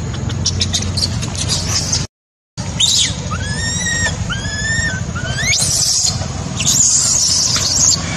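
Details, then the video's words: Baby macaque abandoned by its mother, crying: a string of high, arched whistled wails with stacked overtones, several rising sharply, mixed with harsh broadband squeals, over a steady low rumble and a brief dropout. "Poor baby monkey was abandoned by mother monkey, crying heartbreakingly"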